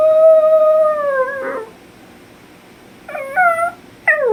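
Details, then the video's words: Puppy howling indoors because it misses its owner: a long level howl slowly sliding downward and breaking off, then after a pause two shorter falling howls, clear tones over a quiet room background. "Puppy dog Lucky #howling"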